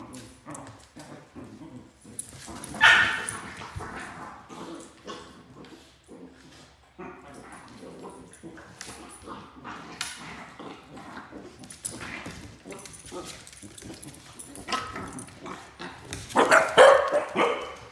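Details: Two Pembroke Welsh Corgis, Fuji and three-month-old puppy Mika, wrestle in play; scattered short growls, snorts and yippy bursts punctuate scuffling and thumps, swelling into a louder growling flurry near the end.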